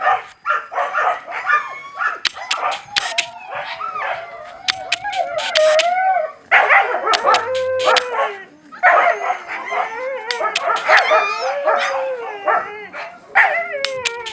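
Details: Several Siberian Husky puppies howling while they eat: long, quavering, warbling tones that bend up and down, overlapping one another almost continuously, with brief pauses and scattered sharp clicks from feeding.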